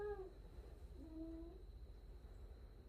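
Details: A cat gives two soft, short meows: a brief falling one at the start, then a faint drawn-out one a second later, over a steady low indoor hum.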